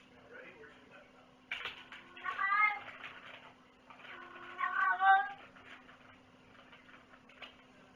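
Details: Domestic cat indoors giving two drawn-out wavering meows about two and a half seconds apart, mixed with a person's talking, rustling and a constant low hum in a small room.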